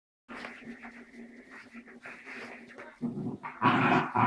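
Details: A Dachshund and a Cairn Terrier play-wrestle in their daily ritual, growling and snarling with harsh throaty rumbles and sharper yaps.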